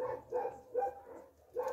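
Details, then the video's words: Puppies at a Russian no-kill shelter repeat short, mid-pitched yelps roughly every half second, four bursts in all, with a brief quiet pause before the last. "Они кричат безмолвно... _puppies"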